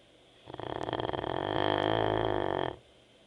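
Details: Teco, a sleeping Labrador Retriever, snores in one long rasping, rattling breath lasting about two seconds, rough and fluttering throughout and swelling slightly louder toward the end before stopping abruptly; quiet background otherwise.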